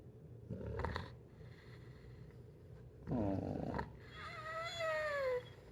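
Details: Pit bull throwing a tantrum while waiting for a late meal, giving a drawn-out falling whine with a rough, throaty vocal burst before it, while people talk quietly in a room.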